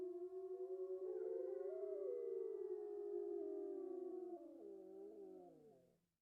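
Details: Gray wolves (Canis lupus) give close pack howls: several long, mellow tones overlap and slide downward as the chorus fades.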